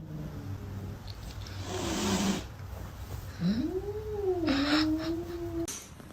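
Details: A pet cat with odd behaviour lets out a long sliding yowl that rises, dips, then holds steady for about two seconds. Background music and room noise run underneath.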